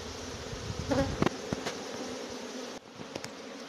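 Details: Honey bee swarm, big drones among them, caught on March 29th 2021: steady humming drone with quick buzzing bursts of bees flying past, a brief dip in the hum near the end.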